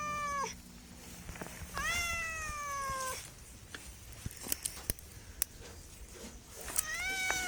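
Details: Three plaintive meows from a cat, a short one, a longer falling one, then a rising one, with knocking and clicking noises in the quiet between them.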